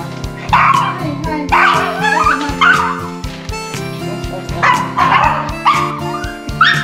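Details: Pug and Yorkshire terrier at a dog run on a late early-autumn visit, protesting loudly at their owner for forgetting their favourite treats: sharp high yapping barks repeated about every second, over steady background music.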